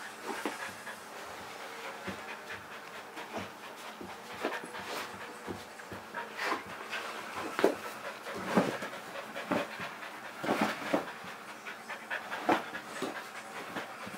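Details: A male pet Kerry Blue Terrier panting when he wants to play: quick, breathy huffs come in an uneven stream with short louder puffs scattered throughout, all quite soft and close.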